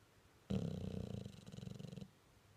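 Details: Staffordshire bull terrier snoring while dreaming: a low rumbling snore lasting about one and a half seconds, rough and pulsing, fading gradually toward the end.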